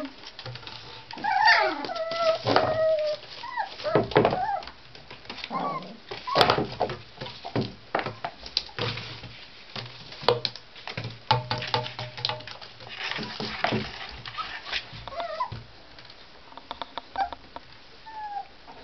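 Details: Young Tibetan Terrier puppies, born 23 October, romping indoors give wavering high-pitched whines and short yelps, several bursts overlapping, interleaved with thumps, claw clicks and rustling on the floor.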